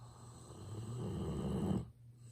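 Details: Sleeping Golden Retriever Ibuki gives one long, grating snore lasting nearly two seconds, then breaks off abruptly; a steady low hum runs underneath, recorded up close with a smartphone.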